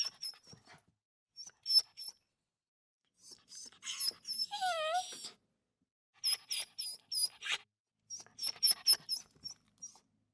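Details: Small dog whimpering: scattered high squeaks, then a drawn-out wavering moan that bends downward, followed by quick runs of shrill, piping whines.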